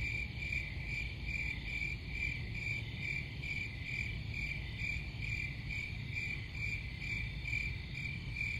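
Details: High, clear cricket chirps sound in distinct rhythmic pulses, about one per second, over a continuous low background drone.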